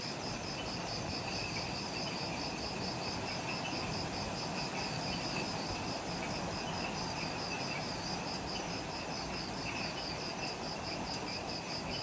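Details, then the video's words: Forest insects at the Mount Omoto trailhead on Ishigaki Island, Okinawa, Japan, at twilight just after sunset; a bright, evenly pulsed chirping chorus over a continuous high ringing tone, with a few faint extra clicks and low ambient noise. "Relaxing Jungle Ambience with Insects"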